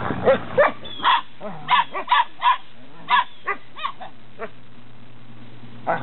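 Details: Eight-week-old Belgian Malinois Shepherd puppies in Williston, Florida, born 29 November 2015: a series of about twelve short, yappy barks and yelps at irregular intervals, some in quick pairs, with a low hum underneath and a quiet gap near the end.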